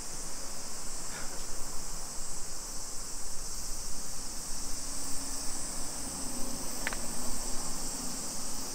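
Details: Suburban Nagoya cicadas in Nisshin, Japan, on a summer afternoon, 28 July 2021: an even, sizzling buzz holds steady. A faint low hum rises midway, a sharp click comes near the end, and walking noise rumbles below.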